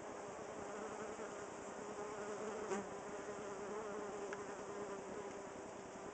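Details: Honey bees newly moved into a cedar squirrel box fan at the entrance to cool the hive on a hot July day near 95°F, a steady, dense, low, even drone.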